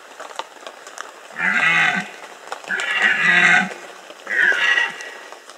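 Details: Red deer stag roaring during the 2015 rut in the Bieszczady mountains: three long hoarse groaning bellows, each about a second long, with deep harmonics under a rough upper band, separated by short pauses over a faint crackling background.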